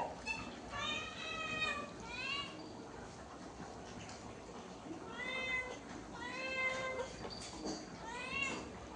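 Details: Hungry cat, said to have a sore throat, keeps giving quiet, high, bent meows in small clusters over broad background noise as it is called indoors to eat rice.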